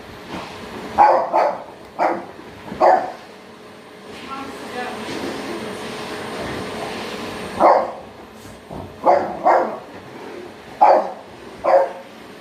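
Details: French Bulldog Toby barks at a vacuum cleaner in uneven volleys, single and paired yaps, pausing midway while the appliance's noise and a human voice fill the gap before barking resumes.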